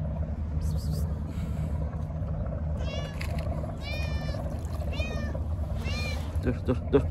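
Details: A hungry stray cat being fed by the sea gives several short rising-then-falling meows in a row, over a low rumble of traffic or wind and a person speaking.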